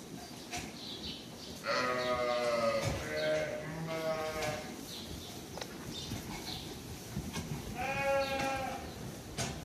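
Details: Purebred Lacaune breeding sheep imported from France, several harmonic wavering bleats from the flock, two long calls early then another near the end, with rustling and clattering background noise.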